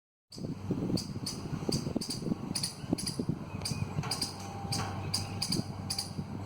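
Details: Squirrel calling: sharp, broadband chips repeated roughly every half second in uneven bursts, over a steady low rumble of background noise.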